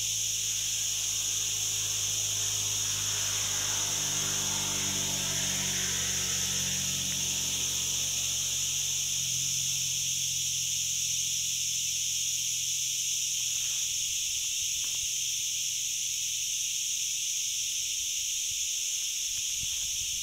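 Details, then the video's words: Continuous shrill trilling of crickets in woodland on the Ghafsai–Ourtzagh road, Taounate province, Morocco. Several stacked high bands hold steady while a low engine-like drone fades out midway. "واصوات الصراصير"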